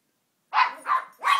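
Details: A female Maltese puppy rolls on the couch, digging at the back cushion and growling, then gives three quick, high yappy barks in a row.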